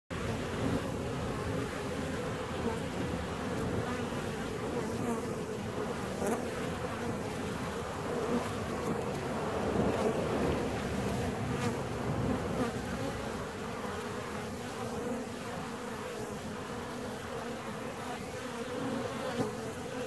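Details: Honey bee colony in a hive 17 days after splitting: a dense, steady, low droning hum of many bees with layered buzzing tones, swelling slightly midway, and faint scattered higher buzzes of individual bees passing close.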